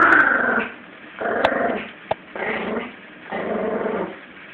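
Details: Female Yorkie puppy, 17 weeks old, growls in a tug-of-war play session with a Jack Russell; gravelly growls in three or four bursts with pauses between, plus a couple of sharp clicks or knocks.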